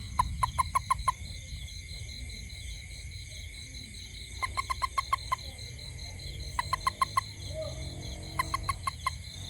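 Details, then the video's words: At night near a home, a toad gives short bursts of five or six sharp, knocking notes, repeated every two seconds or so. "Toad frog sound at night"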